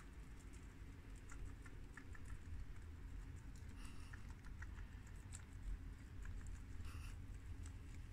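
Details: Guinea pigs, two boars and two sows (American, Mini Yak and Abyssinian), chew fresh garden romaine lettuce, giving scattered sharp crunches and soft nibbling ticks that cluster in bursts over a steady low hum.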